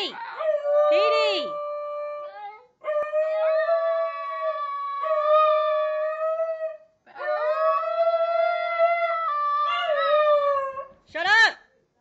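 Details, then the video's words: A 1-year-old male brindle Basenji gives long, warbling howls with sliding, yodel-like pitch breaks in three drawn-out phrases, and his 4-year-old tri-colour half-sister howls along in the background. "Basenji Howl"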